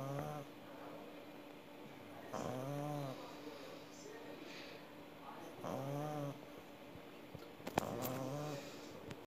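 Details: Sleeping pug snoring indoors, with rough, nasal rasping breaths that rise and fall about every two seconds and a faint steady hum in the background.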